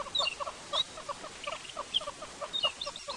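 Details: A tree squirrel's alarm call on a morning safari drive at sunrise, May 18, 2016: quick, clucking chuck notes repeated several times a second, alarmed as if by a possible leopard, with alarmed kudu nearby and thin high chips of birds, including alarm-calling hornbills.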